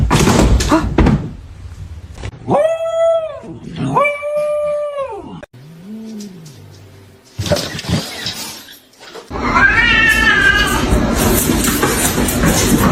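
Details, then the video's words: Kitten making two clear, even meows in quick succession, then a lower short mew and a rougher falling meow, with thumps, rustling and a voice in the background. "kitten meowing call"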